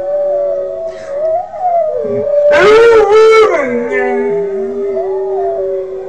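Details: Kodiak, a 5-month-old Northern Inuit dog learning to howl, gives a long, wavering, mid-pitched howl that slides and dips, with a louder, harsher burst of several rising-falling notes in the middle.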